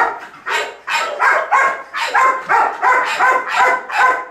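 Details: Female Belgian Malinois during grip and bite training, practising a bark command to appear more intimidating instead of locking onto the threat; loud, harsh barks repeated in a fast, slightly uneven series, about three per second.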